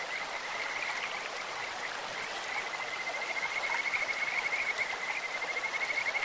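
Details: Stream chorus of Kajika frogs: a long, level, sweet trill sustained through the second half, built from rapid pulses, preceded by softer scattered notes, all over loud rushing water.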